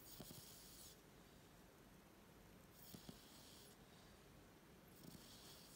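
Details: Odin, an 18-week-old Staffordshire Bull Terrier puppy, snores while asleep indoors: soft, low snorting breaths come about every two seconds, with faint hiss between them in a quiet room.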